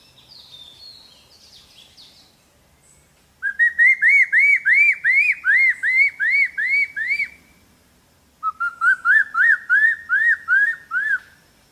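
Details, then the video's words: Capuchin monkey calling in two bursts of rapid arched whistles, roughly three per second, the first series higher and the second slightly lower, after a brief faint descending whistle at the start. "monkey nail sound (monkey nail song)"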